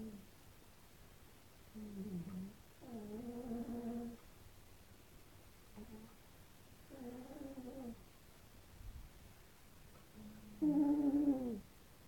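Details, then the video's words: Snoring domestic cats competing while asleep. Nasal, whistled snores with stacked harmonics come every three to four seconds. Short quiet breaths fall in between, and the last snore is the loudest. "The cat's snoring competition! (Gara di russamento tra gatti)"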